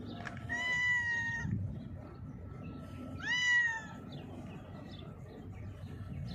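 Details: Cat blind in its left eye, sheltering under a mixer truck when called; two drawn-out meows about two and a half seconds apart, the second rising sharply at its start, over low outdoor rumble.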